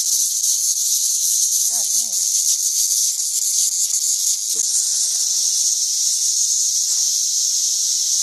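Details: Masses of cicadas swarming in St. Louis, 2011; an unbroken, shrill, steady buzzing wall of sound, with a short wavering bird call and a faint chirp standing out briefly beneath it.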